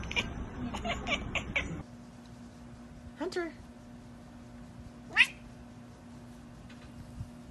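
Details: Domestic cat from a funny pet compilation giving two short sweeping meows, one around the third second and a sharper rising one near the fifth, over a steady low hum after a burst of clattering noise.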